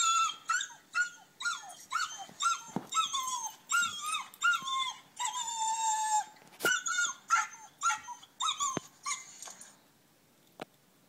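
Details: Whippet crying, played from a screen while two other whippets, three years and five months old, watch indoors: rapid high nasal whimpers, many short bent cries and a few drawn-out whines over about ten seconds.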